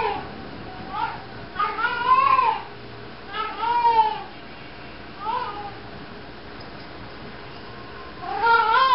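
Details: Domestic cat meowing while walking around carrying a sock; drawn-out, rising-then-falling meows with rich harmonics, four or five calls spaced unevenly with quiet pauses between, indoors.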